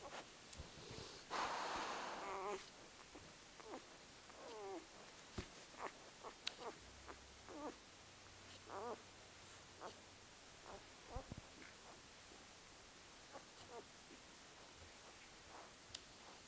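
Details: Newborn Great Pyrenees litter, four days old, on Halloween night: a breathy burst early on, then many brief wavering squeaks and thin whines at irregular intervals, with small clicks and rustles indoors.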